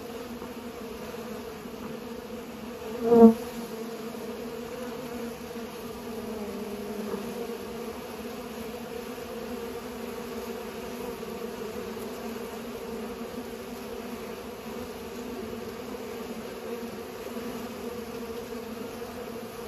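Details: A quieter, softer hum of bees pollinating, a faint steady drone with one sudden louder buzz or knock near the start before it settles back to an even murmur.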